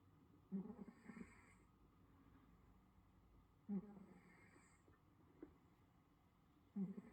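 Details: A Russian Blue cat in South Korea snores softly while sleeping peacefully, each low rasping breath coming about every three seconds.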